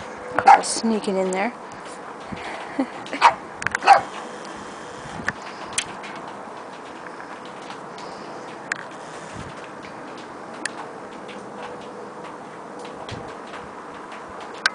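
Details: A Boston Terrier barks at a cat through a door, giving a quick burst of sharp, high barks and yips, then falls mostly quiet.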